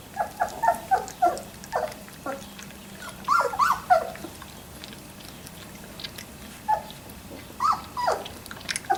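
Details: Squeaky whimpers and short yips from three-week-old Labrador Retriever puppies come in quick irregular bursts, several per second at times, pausing briefly before resuming, with faint rustling underneath.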